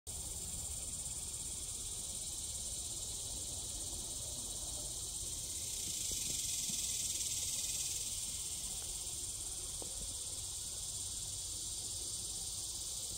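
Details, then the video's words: Neotibicen superbus cicada calling in western Jonesboro near Razorrock: a continuous, high, hissing buzz that holds steady, swells slightly in the middle, then settles back to an even drone. "Neotibicen superbus call"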